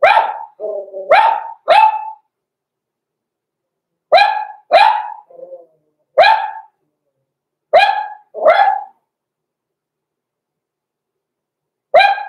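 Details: Two six-week-old Cavalier King Charles Spaniel puppies, blenheim, born November 2022, in an indoor pen; bursts of two to three piercing yaps separated by quiet gaps, a soft whimper between, and a lone bark at the end.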